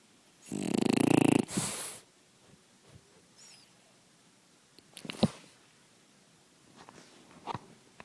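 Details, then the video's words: Dog asleep in the daytime, snoring as loud as possible: one long harsh rasping snore of about a second and a half, then quiet breathing with a few faint clicks and snuffles. "Puppa snoring"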